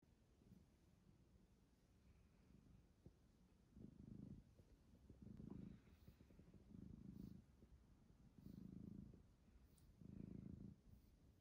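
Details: Domestic cat with a silky, shiny coat purring while enjoying human touch; low rumbling purr swelling in bursts roughly every one and a half seconds, quiet background.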